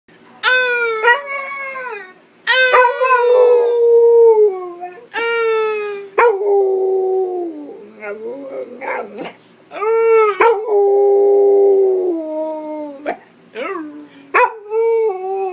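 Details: Pit Bull in a howling contest with a man, a run of rich, wavering howls in quick bursts, some sliding downward, alternating with short yips and broken whimpering notes indoors.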